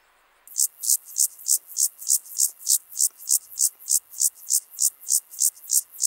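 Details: Loud, close song of a club-legged grasshopper (Gomphocerus sibiricus) at Leogang, Austria, September 2023: sharp, buzzy, very high pulses, each swelling then cut off, repeating steadily at about three per second against a quiet background.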